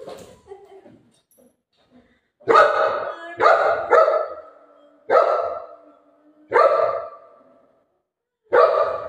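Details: Golden Retriever named Buzo, a pet dog, barking loudly in a series of about six sharp, harmonic barks spaced roughly one to two seconds apart, after a quiet opening with faint background sounds.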